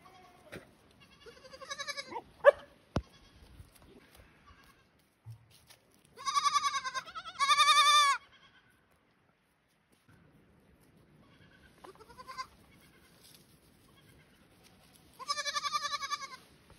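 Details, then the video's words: Baby goat on a small farm homestead, outdoors, looking for its mother: loud wavering bleats with rich harmonics, a pair near 6–8 seconds, another near 15–16 seconds, plus softer shorter cries between and a few knocks. "Sweet baby goat looking for mom"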